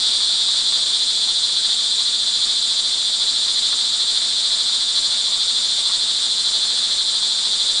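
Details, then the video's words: Many crickets sing together during rain on an early evening, June 24, 2011, in Montalban, Rizal, Philippines, producing a steady, piercing high trill that never pauses. "sound recording of crickets in the rain"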